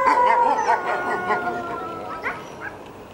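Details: A captive family of red wolves at the Tallahassee Museum, two parents and four ten-month-old pups (three males, one female), howl in a quavering overlapping chorus with higher pup yips and rising wails, responding to a distant ambulance.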